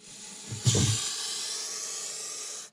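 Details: Defensive hiss of a nervous Montpellier snake (Malpolon monspessulanus) reacting to a threat: a soft low thump, then a strong, even rush of breathy hiss that holds for about two seconds and cuts off sharply.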